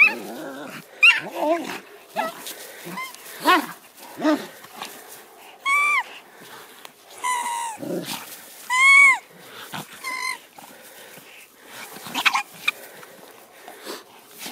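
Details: Sarplaninac livestock guardian dog on a farm confronting a badger: loud, arching harmonic yelping barks in clusters around the middle, with scattered sharp clicks and scuffling noises between them.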